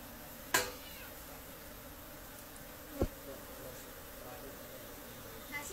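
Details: Honey bees while honey is being collected from cultivated hives in the Khasi Jaintia area, a continuous low buzzing drone with three sharp knocks spaced a few seconds apart.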